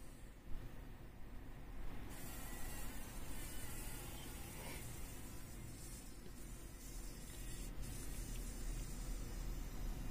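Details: Trapped in a spider web in a workshop corner, a fly fights for its life. It gives a low, continuous humming buzz that swells after the first two seconds and keeps droning steadily to the end.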